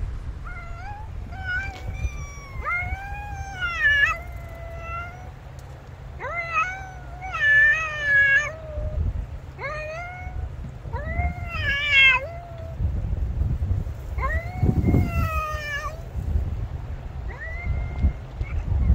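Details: Two cats, a black cat and a white cat, apparently strays, exchanging calls as the black cat meows forcefully at the white one; long harmonic meows, some rising then falling, some wavering, repeated throughout with brief gaps over low background rumble.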